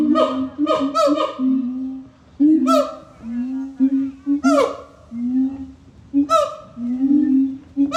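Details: Siamang calling, loud booming hoots with harmonic overtones, interrupted by sharp upward-sweeping barks that rise and fall, about six bursts over eight seconds.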